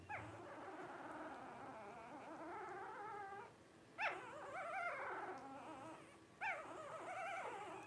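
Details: Twelve-day-old Blenheim Cavalier King Charles Spaniel puppies, part of Paris's first litter of five, give a steady wavering whine broken by two sharp upward squeaks, one near four seconds and another later.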